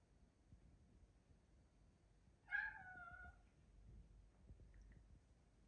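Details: A male British Shorthair cat looks at the camera and gives one clear, drawn-out meow that falls slightly in pitch.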